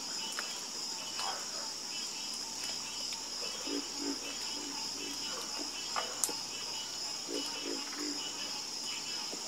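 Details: Nighttime chorus of frogs: sparse, brief, low croaks, bunching together in the second half, beneath a continuous high ringing drone.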